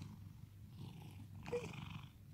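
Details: Domestic cat in Cooktown, Queensland, Australia, purring while being patted and pampered; a steady low rumble runs throughout, with a brief sharp click or rustle midway.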